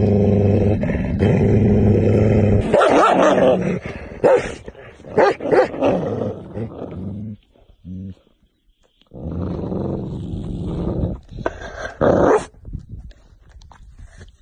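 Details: Tibetan Mastiff giving a deep, rough growl that breaks into heavy barking bursts, then a pause of near silence before more low growling and barks.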